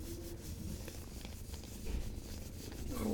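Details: A cat named Sylvie purring softly, a low, continuous rumbling drone with faint rubbing and handling noises. The rustling grows louder toward the end.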